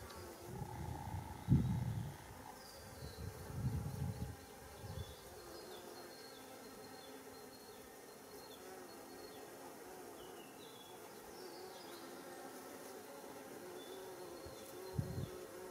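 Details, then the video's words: Worker Japanese honeybees gathering nectar and pollen at rock creeper flowers beside a Japanese mountain road in early July 2016; a buzzing drone sounds at first, with low thumps in the opening seconds and a faint hum after. "Japanese Honeybee on Schizophragma ニホンミツバチ♀がイワガラミの花で採餌"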